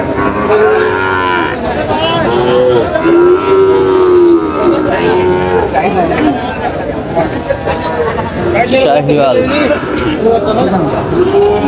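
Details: Sahiwal bull calves at a busy cattle market on 23 July 2025, where a farmer from Chandpur buys animals; a long, low, drawn-out moo swells in the middle, with shorter lowing around it, all under constant crowd chatter and bargaining voices.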